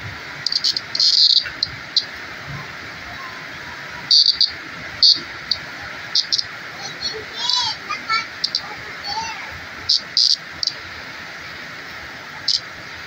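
A green cicada gives a steady, shrill, high buzz that barely changes in pitch or loudness.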